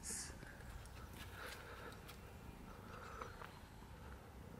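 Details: Cat purring, a kitten together with its father: a soft, continuous low rumble of rapid pulses running the whole time, with faint mid-range rustling and a brief high hiss at the very start.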